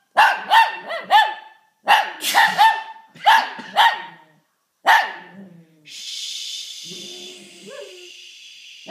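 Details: Shih Tzu set off by a sneeze, giving rapid strings of high, clipped barks in four clusters, followed by a steady hissing background noise with a couple of faint yelps near the end.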